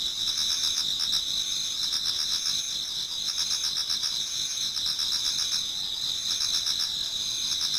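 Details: Japanese garden in autumn before dawn, full of singing insects: a constant piercing high drone of trills, studded with rapid pulsed chirps that swell and fade in short bursts.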